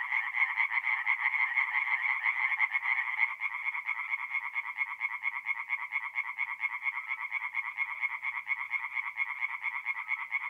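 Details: Night chorus of tree frogs at a forest pond in north-east Italy in mid-April: fast, pulsed croaking runs continuously, louder for the first three seconds, then slightly softer as overlapping callers keep up a steady rattle.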